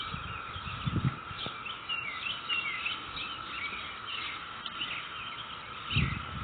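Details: Cicada chorus in a neighborhood, May 22, 2021: an even, continuous hum runs throughout, with bird chirps above and two dull low thumps near the start and end.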